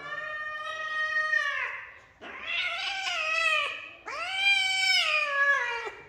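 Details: Kitten in a small room, afraid of heights after being picked up, calls three long, loud harmonic meows about two seconds apart, each rising slightly then sliding down, with a faint low hum behind.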